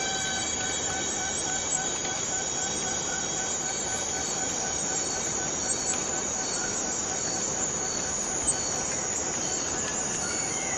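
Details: Borneo rainforest cicada sounding a steady shrill drone with a thin, ringing whine running through it and little change across the whole stretch.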